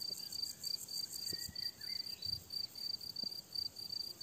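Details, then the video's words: Crickets on a summer meadow trill in high, pulsing bursts, joined by brief whistled bird phrases and occasional low taps. "Tücsök ciripelés"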